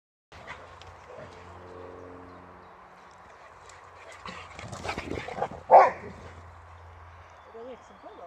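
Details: Two Boxers, the Swedish male Rex and Tuva, squabble over a toy as Rex tries to establish he is alpha male. A steady low rumbling growl holds for a couple of seconds, followed later by scuffling and one sharp bark.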